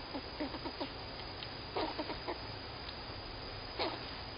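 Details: A squirrel that the owner thinks sounds happy gives soft, clucking chuck notes in short, irregular bursts.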